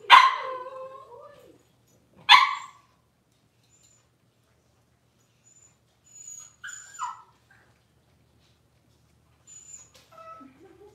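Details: Yelping from six-week-old Cavalier King Charles Spaniel puppies during deworming and toenail trimming: two loud harsh yelps at the start, then quiet pauses broken by short faint whimpers.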